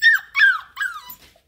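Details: A hungry Bluetick Coonhound puppy, a little girl being microchipped, hollers for breakfast in three high, whiny yelps that slide downward.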